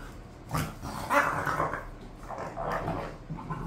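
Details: Pet bulldogs Khan and Ali, bored, make softer, muffled growling and moaning sounds that rise briefly then trail off into low grumbles.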